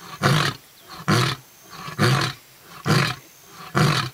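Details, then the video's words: A lion in Kruger National Park, Londolozi, South Africa, gives a big roar followed by a series of deep, coughing, burp-like grunts, each burst about a second apart. "Lion Roar"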